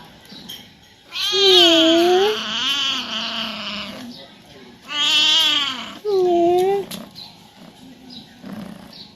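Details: Pet cat at home, a talkative male wanting his owner to play with him, gives a long, strained, wavering meow, then two more drawn-out cries in quick succession, each rising and sagging in pitch, in a quiet room.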